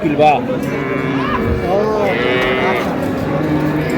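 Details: Cows with calves at Ambari Haat cattle market in Dinajpur, 1 May 2026; a drawn-out, harmonic moo rises and falls across the middle, with an earlier brief low call, over steady crowd chatter and market noise.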